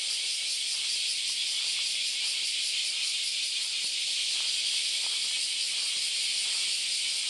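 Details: On the Philosophy Path in Kyoto, Japan, countless cicadas fill an August Sunday morning with an even, piercing high drone. Faint soft clicks sit underneath it.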